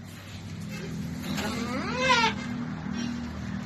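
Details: Goat struggling through a difficult birth, the kid finally delivered: a wavering, rising-then-falling harmonic bleat lasting about a second, over steady low engine-like hum and background noise.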